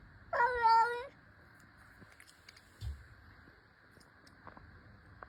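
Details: A mother cat talking indoors: one drawn-out, rich-toned meow that swells and then falls near the start. A quiet room follows, with faint clicks and a soft thump.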